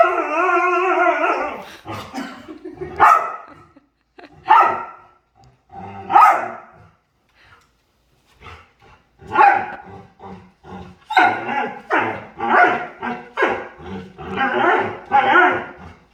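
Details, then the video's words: Dog at play opens with a drawn-out whining call, then gives short sharp barks and yips, at first spaced a couple of seconds apart and later in quick clusters. "Cutest Dog Makes Hilarious Sounds While Playing"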